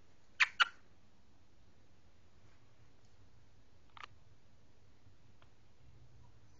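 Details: Chocolate Labrador puppies give two quick, high yipping barks, then a few fainter yips, asking to come inside after their supper.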